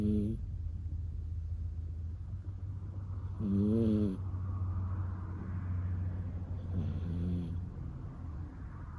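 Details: Loud, vibrating snores from a sleeping puppy, each lasting under a second and spaced a few seconds apart, with a constant low hum behind them.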